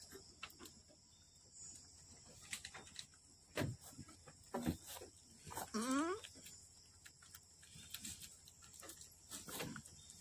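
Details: Boer goat at a farm in Aceh, Indonesia, while twin kids are born: thuds and rustling, then a short rising, quavering bleat near the middle, with soft shuffling noises and a faint voice afterward.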